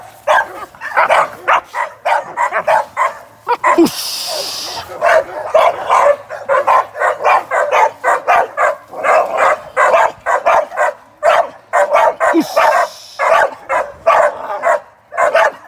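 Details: An American Staffordshire Terrier, a young working sporting dog preparing for ADBA top dog shows, barks almost nonstop in fast, punchy bursts. Two short rushes of hissing noise break in.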